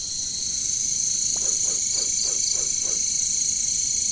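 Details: Jungle katydids giving a continuous shrill, hissing drone, with a short burst of faint high chirps midway and a series of six low, evenly spaced frog croaks.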